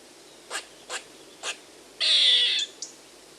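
A squirrel gives three sharp, spaced chips, then a harsh, buzzy rasping screech and one final chip.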